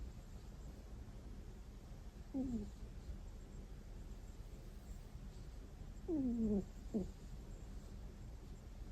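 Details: Pet cat snoring in its sleep. A short falling squeak is followed, after a pause, by a longer descending whine and one quick clipped note. The sounds are soft, and the room is otherwise quiet.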